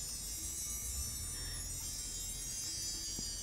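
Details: Soft chiming tones over a steady hiss and low hum, with no animal voices.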